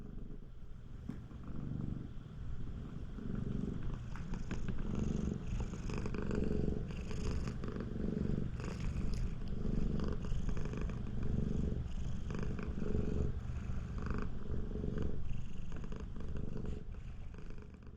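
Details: Siamese cat producing an extra-loud purr to prevent its owner from bathing; the deep, throbbing rumble runs unbroken, its rough pulses swelling and easing with each breath.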